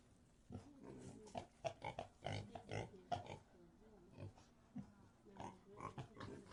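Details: Quieter grunting from pigs in a pigsty, short nasal snorts coming in uneven bursts, with a few soft squeaky tones between them.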